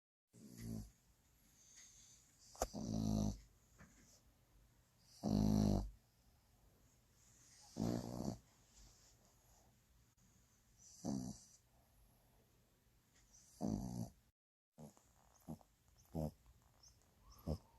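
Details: French Bulldog snoring: loud, rough, rasping breaths in uneven bursts, roughly every two to three seconds, some long and drawn out, with quieter breathing between them and a short silent gap near the end.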